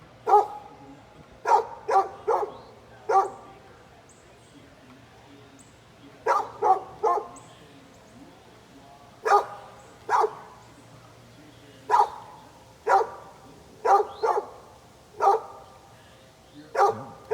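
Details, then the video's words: Dog next door barking constantly at a leaf blower; short, sharp single barks and quick pairs or triplets coming in irregular bursts over about seventeen seconds, with a faint low hum underneath. "Neighbor's barking dog"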